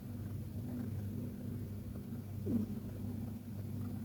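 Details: Persian cat KTO asleep and snoring: a continuous, deep, buzzing rumble holds steady, with one short, faint, downward squeak near the middle.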